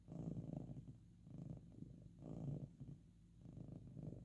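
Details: Domestic cat purring loudly indoors while resting or being petted; a low, rumbling, continuous purr swelling in cycles about every second and a half, in quiet room surroundings.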